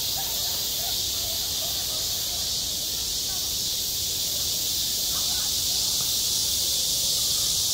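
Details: Midsummer cicada chorus over a school playground: an unbroken, shrill electric buzz holding steady throughout, with only faint murmurs underneath.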